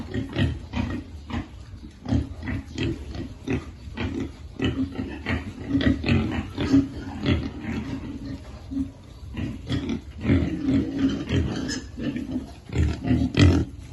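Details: Feeding piglets keep up steady low grunting for about fourteen seconds, short throaty pulses coming every half second or so, some louder near the end.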